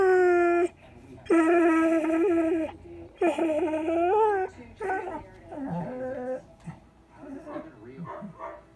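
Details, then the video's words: Male borzoi, four years old, talking and howling with its owner in the morning: several short rising-and-falling harmonic howls, then softer broken whines and grumbling yips that trail off. "Bandit talks and sings! Borzoi howling"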